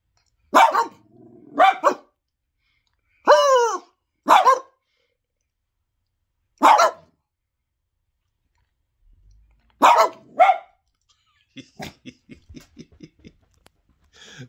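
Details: A pet dog barks in a bark session: six sharp, loud barks, mostly in pairs spaced about a second apart, with long silent gaps between them, followed by a man's voice calling to the dog and urging it on.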